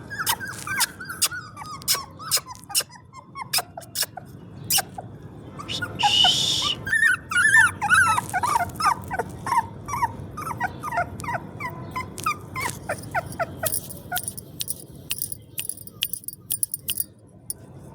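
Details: Newborn puppies (dog, Canis familiaris) squeak and whimper in thin, high, rapid, overlapping cries.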